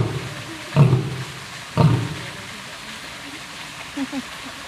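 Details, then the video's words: Lion roaring, with an old and a young lion named: two short, deep, explosive grunts about a second apart, followed by quieter background and a couple of faint low sounds near the end. "Epic roaring of Old and Young Lion Kings."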